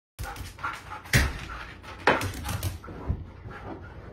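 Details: Siberian Husky wanting to go out, vocalizing as its owner leaves for work: short breathy whines and huffs in uneven bursts, with a couple of sharper louder yelps, heard indoors.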